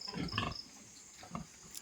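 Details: Piglets from a newly born litter on a pig farm, giving a few short, low grunts and squeals in a quick burst early on, then quiet, with a steady high insect trill running behind.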